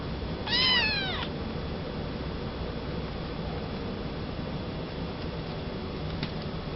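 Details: Male Maine Coon kitten born 27 July 2011, kept at a pet shop in Yokosuka, Kanagawa, Japan: one short, bright meow that arches up then falls, with clear overtones, followed by steady low background hiss.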